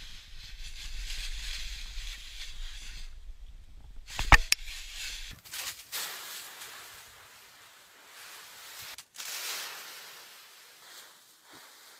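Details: Scattered knocks, a sharp click and rustling handling noise over quiet background, with no animal sound heard.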